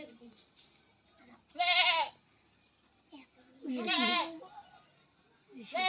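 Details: Goat held for artificial insemination on a farm, letting out two strained, quavering bleats about two seconds apart, with men's voices talking in the background.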